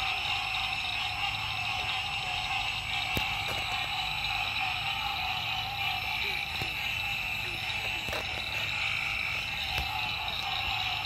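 A dense chorus of green treefrogs, many nasal, honking calls overlapping into a steady wall of sound.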